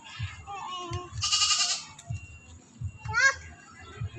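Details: Goat belonging to a neighbour, being coaxed to eat, lets out a strained, buzzy bleat of about half a second, with a short higher cry near the end; people talk in Tagalog throughout.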